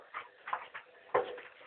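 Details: Pet dog indoors in a small room, giving a few short, thin whining whimpers in separate bursts, with a person's voice close by.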